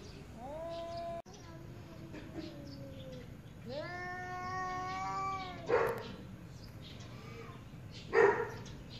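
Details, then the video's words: Angry arguing cats: a wavering yowl, then a long steady harmonic wail that fades downward, followed by two explosive hissing spits and a faint low moan. "Very Angry Cats | Cats Meowing Very Loudly"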